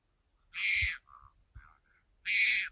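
A leopard cub gives two harsh, high, raspy squalls, calling out for its mother.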